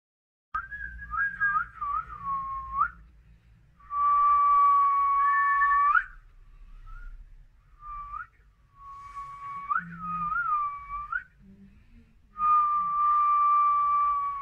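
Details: A scared Siamese cat giving long, drawn-out, wavering yowls, each bout lasting two to three seconds, rising and dipping in pitch, five bouts separated by short quiet gaps.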